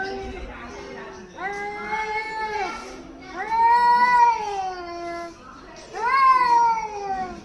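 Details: A cat in Hyderabad, angry at another cat, gives three long moaning yowls. Each swells, holds a wavering, nasal pitch for about a second, then droops, with short quieter pauses in between.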